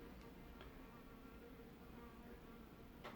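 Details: A wasp that has flown into a conservatory gives a steady, low droning buzz without a break near a spider's large web, with a few faint ticks behind it.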